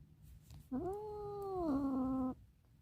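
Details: A domestic cat meows because it wants to escape. There is one long, steady, drawn-out meow lasting about a second and a half. It stays level, then drops slightly in pitch near the end, over low background rumble.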